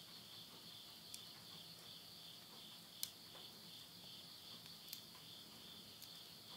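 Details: A midnight insect chorus from rural Yurihama, Tottori, Japan, at the close of summer, September 2020. A high, even, rapidly pulsed trill continues steadily. It is broken by scattered crackles from a wood fire in a stove.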